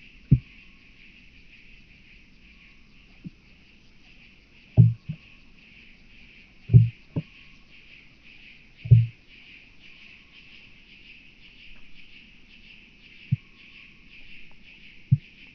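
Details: Starnberg, Germany, 7 August 2023. Southern Oak Bush-cricket making scattered brief low taps and thuds, some paired, irregularly spaced across about fifteen seconds against a quiet background hum.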